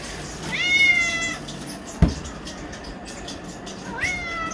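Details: Pet cat demanding chicken, meowing insistently: two long, high, drawn-out meows with rich harmonics, rising then held, separated by a sharp click and quiet background hum.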